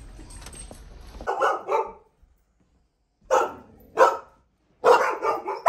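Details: Domestic dogs barking excessively while rough housing before a trainer corrects them; short harsh barks in three clusters separated by silent gaps, with faint background noise at the start.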